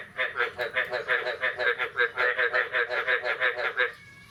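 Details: Morning of 9 May 2022 after the first rain of the year, a frog gives a fast series of nasal, buzzy croaks, roughly four per second, for nearly four seconds, then stops abruptly.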